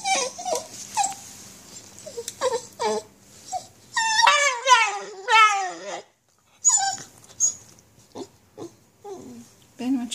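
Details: Basenji with nerve root damage crying out in pain while walking; short rising yelps and a few wavering, falling cries in bursts, with pauses and faint clicking between.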